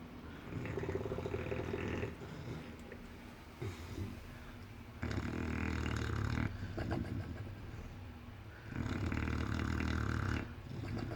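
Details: Asleep English Bulldog snoring loudly in long, rasping, rumbling bursts of about two seconds, separated by quieter breathing gaps, repeated through the recording.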